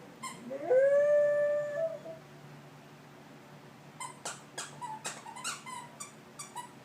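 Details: Ginger the dog howls while playing with a squeaky toy: one long, clear howl that slides upward and then holds steady for over a second, followed after a pause by a run of sharp, high squeaks from the toy.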